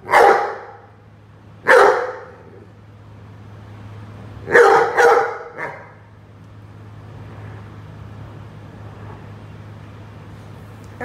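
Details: A Rhodesian Ridgeback barks while playing with a watering can: two single sharp barks, then a quick double bark and a softer trailing one, followed by quiet low hum.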